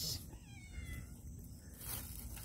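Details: Pet cat, fed sardines indoors, utters a single long meow that rises and then falls over about a second and a half, with low background rumble.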